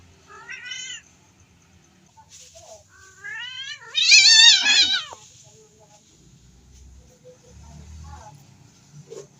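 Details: Domestic cat calling during mating: wavering, harmonic meows that rise into a loud, drawn-out, quavering caterwaul lasting about a second, followed by fainter short mews.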